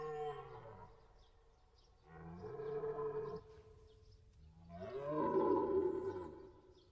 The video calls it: deer, cerf sound effect